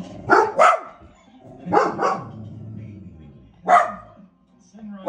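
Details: Dog barking at the television, giving quick double barks followed by single barks at irregular intervals, while TV speech and sound murmur underneath.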